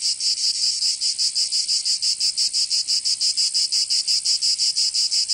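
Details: Cicadas singing in summer in Provence, southern France: a loud, dense, high-pitched buzzing chorus pulsing steadily about three times per second, with no other sounds.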